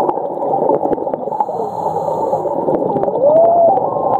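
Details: Underwater whale call from Ningaloo Reef, Western Australia: a tonal moan that swoops down then rises and levels off over under a second, heard through steady bubbling, gurgling water noise with scattered sharp clicks.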